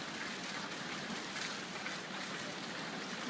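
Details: Steady broadband rushing of flowing water, like a stream or trickle, continues throughout with no animal voice.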